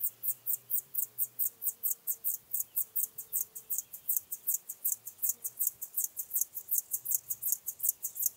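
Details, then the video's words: Locomotive Grasshopper, Chorthippus apricarius, singing at Moosham, Austria, 9 October 2020: steady train of brief, very high scratchy syllables, close to three per second, chugging evenly like a small engine over a quiet background. "Chorthippus apricarius -- Feld-Grashüpfer -- Locomotive Grasshopper"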